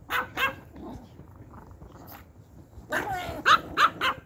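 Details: Shrill yaps from Pomeranian puppies and adult dogs being handed treats: two barks open, a quiet gap follows, then a dense cluster of four or five piercing barks at the end.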